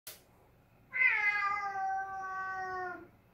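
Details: Domestic cat indoors giving a single long, drawn-out meow lasting about two seconds, starting high and sliding slightly downward, with faint room noise.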